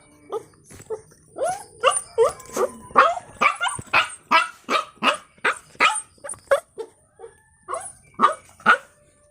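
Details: Puppy barking in a fast series of short, high yips, about two or three each second, each sharp and slightly rising; a few brief pauses break the run, with a faint steady high hiss behind.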